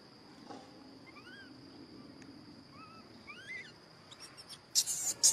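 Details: Little macaque, described as pampered, whistles angrily when he disagrees. Three thin, tonal whistles curve upward and then drop, followed by several loud broadband rustling bursts near the end.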